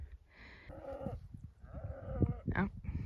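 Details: Cows in Alberta, Canada, being moved near the Canada Day long weekend in early summer, give drawn-out, harmonic moos calling their calves through willow cover, over low rumbling background noise.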